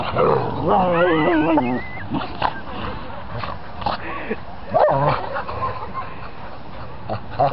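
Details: Three dogs play fighting at home, two ganging up on the third; wavering whiny yelps and rough growls in the first two seconds, then scuffling, snorting growls and a sharp yelp near five seconds, with a woman scolding.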